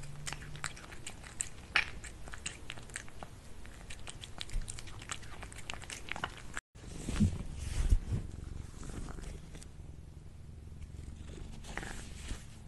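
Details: Cat eating food indoors, crunching and chewing in a quick uneven run of sharp clicks, about 85 bites a minute, with a brief cut near the middle and softer chewing afterwards in a small room.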